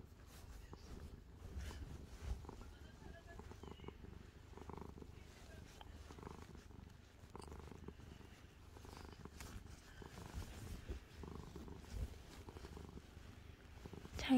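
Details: Calico cat Angttu, falling asleep under a blanket, keeps up a long low purr, a continuous soft throbbing rumble with faint rustling and occasional quiet sounds, a sharp noise at the very end.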